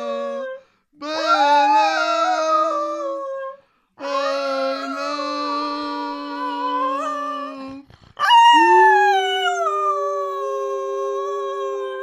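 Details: Cocker Spaniel kept as a pet howls in imitation of its owner's singing: three drawn-out, level howls separated by brief pauses, each several seconds long, with a wavering upper edge and a slightly higher final note.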